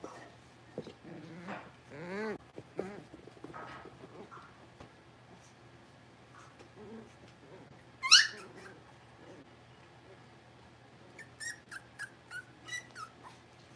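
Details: A litter of five blenheim Cavalier King Charles Spaniel puppies, six weeks old, kept in an indoor pen. Several wavering, rising-and-falling whines are heard early on, then a sudden high squeal and a string of short, rapid high squeaks near the end, over a steady low hum.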